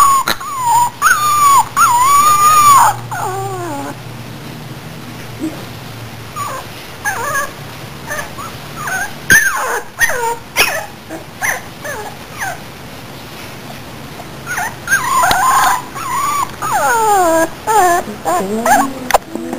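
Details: Puppy whining and crying, long wavering high whimpers at first, then a series of short squeaky yelps and whines with brief pauses, rising again into wavering cries near the end; low hum in the background.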